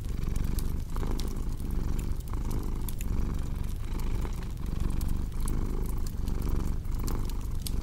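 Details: Domestic cat purring beside a crackling fireplace: a deep, steady rumble that swells and dips with each breath, roughly once a second, while sharp pops and snaps of burning wood sound over it.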